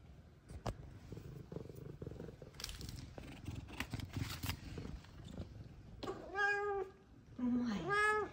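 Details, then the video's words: Two happy F2 Savannah cats, Zara and Kumba, at home with their owner: soft purring and rustling give way to two clear, drawn-out meows, the second rising and then bending down, with a woman's affectionate voice nearby. "Meows, Purrs, And Lovings From F2 Savannah Cats"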